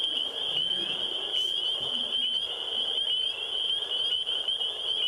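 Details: A captured Fowler's toad, caught around 10 pm on the property, gives a steady, nasal, buzzing drone, played back over faint room noise.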